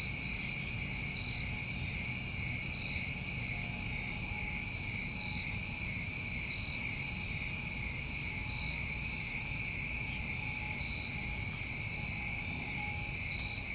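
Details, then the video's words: New England summertime crickets chorusing at night: steady, unbroken high trilling in several layered pitch bands, with faint brief higher chirps now and then and a low background hum. "Over 1 Hour Of Tinnitus Masking With Crickets"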